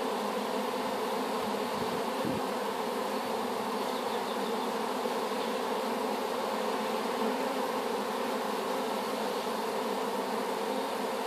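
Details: Newly hived honey bee swarm, collected from an apple tree and just put into the hive, giving a steady dense hum with layered drone tones throughout, a brief low thump near the two-second mark.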